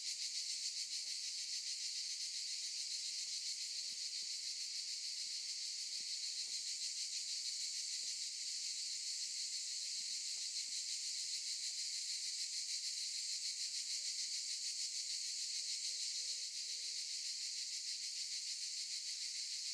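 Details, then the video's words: Steady chorus of cicadas in an olive grove, an unbroken shrill buzz with rapid fine pulsing that holds an even level for the whole stretch, nothing else standing out. "Window on olive trees | Sound of cicadas"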